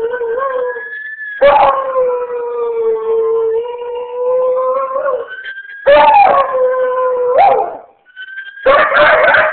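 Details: Howling at ambulance sirens, a beagle crossed with shepherd holds long, level mournful notes, each started by a harsh yelping burst; the thin, rising siren wail fills the gaps between howls.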